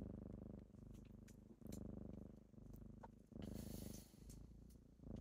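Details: Kittens waking their owner at daybreak with a loud, deep purr that pulses in steady breath cycles, broken midway by a burst of rustling noise.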